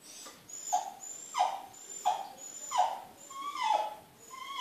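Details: Smooth Fox Terrier pleading to go outside where children are heard playing. Six drawn-out whines, each swelling then sliding down, spaced under a second apart in a quiet room.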